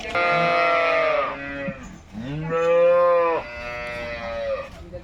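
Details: Jersey cattle at a wholesale market: three drawn-out moos, the first and second rising then held before falling, the last softer, with quiet market sounds behind.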